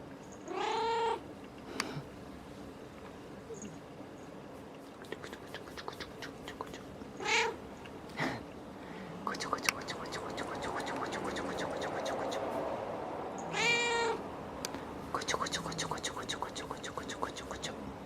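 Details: A cat gives several drawn-out, wavering meows spaced a few seconds apart, with bursts of sharp clicking and tapping sounds between them.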